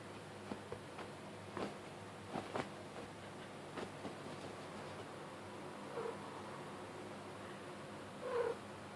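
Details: Kitten playing under blankets, chasing fingers, with soft rustling and scratching of fabric throughout, then two short mid-pitched chirps near the end, the last one louder and slightly longer.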